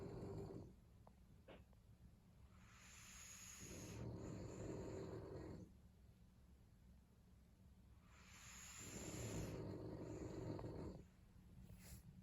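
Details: French Bulldog snoring while two of the dogs sleep: two soft, breathy, drawn-out snores of about three seconds each, hissing and airy rather than rattling, heard at a distance in a quiet indoor setting.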